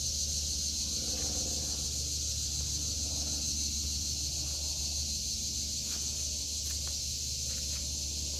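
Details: August 2023 garden with cicadas filling the summer air: a constant high, hissing buzz that never pauses, a few faint clicks and a low background hum beneath.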